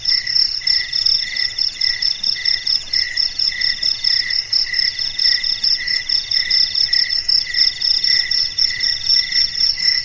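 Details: Crickets keeping the night company in the silence, high ringing chirps repeated in steady beats roughly twice a second, with a lower pulsed trill and a higher steady tone from other callers layered beneath.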